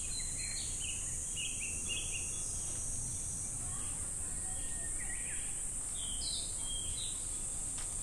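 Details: Cicadas drone in a steady, hissing high buzz on a summer day at Namegawa Shrine in Sukagawa, Fukushima, Japan, with tinkling wind chimes above a low rumble.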